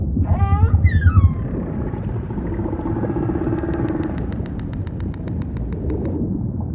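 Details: Humpback whale singing amid ocean ambience. It opens with quick rising whoops, then a drawn-out low hum, followed by a steady train of clicking pulses, roughly three per second, against a deep underwater rumble.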